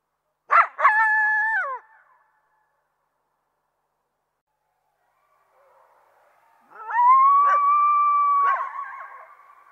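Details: Coyote opens with a sharp bark and brief wavering cry, falls silent for several seconds, then lets out a steady drawn-out howl broken by a couple of yips.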